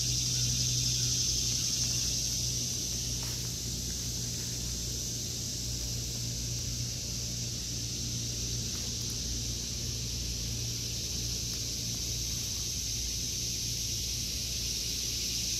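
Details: Cicadas in an August 2023 veggie garden produce a sustained, even, high hissing drone that is slightly stronger at the start and the end, with a low steady hum underneath.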